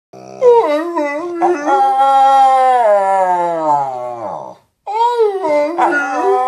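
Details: Dog from a compilation of talking dogs, making a drawn-out howling vocalization that starts with short wavering notes, swells into a long, steady, tonal note that slowly sinks in pitch, then breaks off briefly before resuming with quick wobbling, talk-like yowls.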